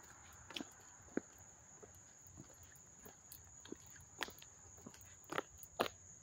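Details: Up-close crickets at Hastings-on-Hudson, New York, August 13, 2024, keep a continuous high-pitched trill, broken by scattered clicks and footstep-like taps.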